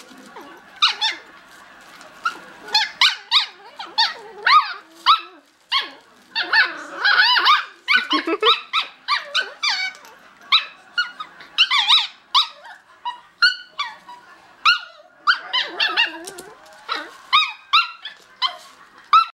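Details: Two miniature schnauzer puppies, Heidi and Lily, bark at each other from either side of a puppy pen; high, squeaky yips and short barks come in rapid irregular bursts, overlapping at times, with occasional lower growly notes.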